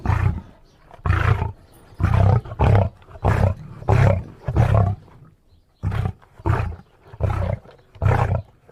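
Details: Lion producing a series of about a dozen throaty, resonant grunt-roars in two runs separated by a short silence, each burst gruff and low.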